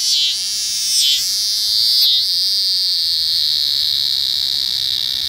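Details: Eastern scissor-grinder cicada during unusual courtship behaviour: a loud, steady, high buzzing drone. It dips and stutters briefly three times in the first two seconds, then holds an unbroken even whine.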